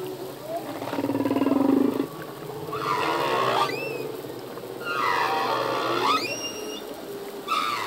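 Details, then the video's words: Underwater song of a male humpback whale: a buzzy low pulsed groan followed by rasping, harmonic-rich cries with rising whoops, repeated in close succession. "Whale song - full length humpback whale song"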